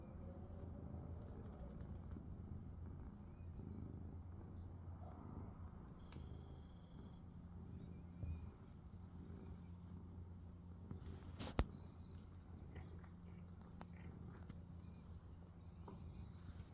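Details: A sleeping domestic cat purring: a soft, low, continuous rumble that holds steady throughout, with a sharp click partway through.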